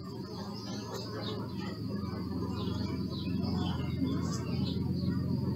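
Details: Bees humming low and steadily, the drone growing louder over a few seconds, recorded on a Sony Alpha 6000, while birds chirp and whistle faintly in the distance.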